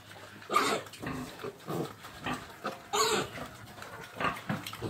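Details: Pig giving harsh, noisy grunting bursts roughly once a second, with two louder, brighter squeal-like bursts near the start and middle.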